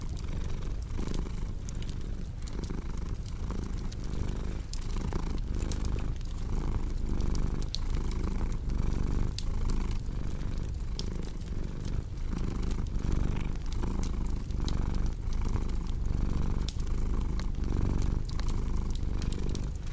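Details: Continuous low, throaty purring from a cat, rising and falling with each breath in an even rhythm, while a crackling fireplace adds frequent bright snaps over the rumble.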